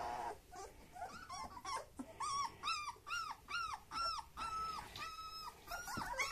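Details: Black old-type German Shepherd puppies, males and females born 26 July 2021, whining in a run of high, arching cries about half a second each.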